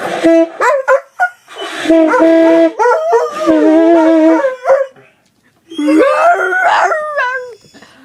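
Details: A dog sings along to music its owner is playing, letting out loud, drawn-out howls that waver and bend in pitch. Short yips break in, with steady sustained tones beneath and brief pauses between phrases.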